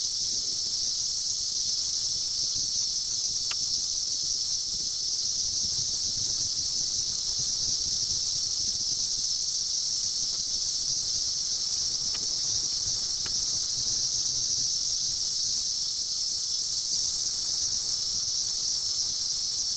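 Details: Periodical cicadas out by the billions in 2004 after a 17-year sleep, gathering to mate: a relentless shrill hiss, with a few soft knocks and a low rumble beneath.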